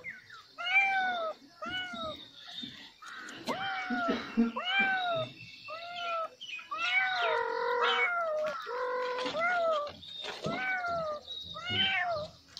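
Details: Kitten meowing over and over, arched harmonic mews roughly every second, some overlapping as if more than one kitten, with soft background rustle.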